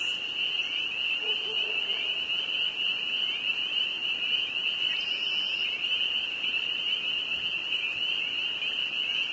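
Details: Northern Vermont spring peepers in full chorus, a frenzied wall of high-pitched peeps blending into an unbroken shrill drone, a faint low murmur briefly beneath it.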